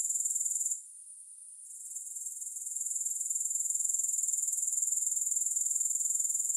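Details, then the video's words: High, sizzling grasshopper trill pulsing about four times a second; it quietens abruptly near one second, then gradually swells back to a steady level, with no other sounds present. "Grass Hopper Sounds"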